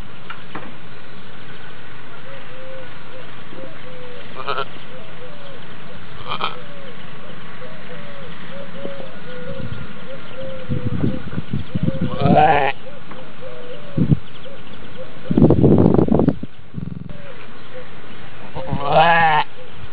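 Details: Birth of a Racka lamb: a faint thin call repeats early on, then rustling, handling noises and two short shaky sheep bleats late in the recording.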